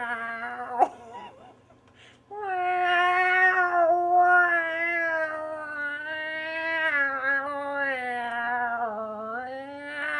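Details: Cat reacting to harmonica with one long unbroken wailing meow that begins after a short soft opening and slowly bends and dips in pitch for about eight seconds.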